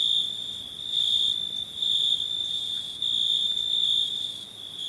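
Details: Cricket song from a summer recording session for a free sound pack: an almost continuous piercing trill with only slight swells in loudness.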